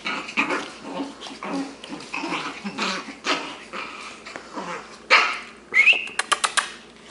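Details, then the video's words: Shih Tzu boys six weeks old, from Addie x Vinnie, at play in a small room: rough growling scuffles, then several sharp high yips and squeaky barks in a quick cluster near the end. "Shih Tzu boys playing"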